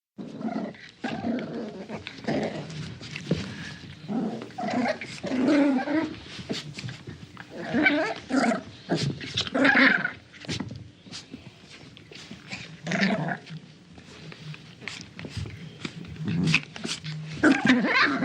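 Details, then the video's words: Small dog playing tug of war, giving continuous rough growls in uneven bursts with short pauses, some higher yelping notes mixed in, and rustling from the tug toy throughout. "Small Dog Plays Tug Of War Sound Effect"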